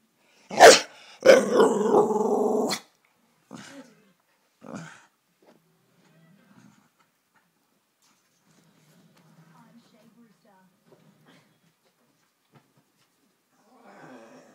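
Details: A female Staffordshire Bull Terrier, always angry and easily annoyed in the mornings, gives a sharp bark, then a long harsh grumbling growl, followed by a few softer huffs.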